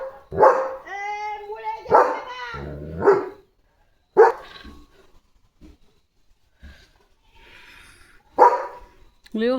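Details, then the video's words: Guard dog Leo, a German Shepherd, barks at sheep walking past the house gate; four separate loud barks spaced a couple of seconds apart, with a person's speech between them. "Leo vs Sheep Herd! 🐑 German Shepherd Guard Mode ON"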